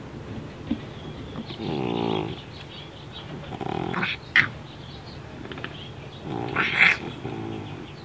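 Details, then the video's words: Baby, a deaf pet cat with neurological and breathing problems, snores while awake, sounding like a pig; a harsh, rattling snort near two seconds, then sharp clicks and a second noisy burst near seven seconds. "CAT SNORING WHILE AWAKE (The Feline Pig)"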